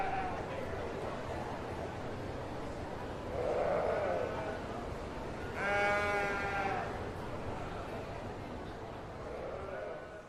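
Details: Distant sheep bleats over steady background noise: a muffled bleat near the start, a clearer nasal harmonic bleat in the middle, and a faint one near the end.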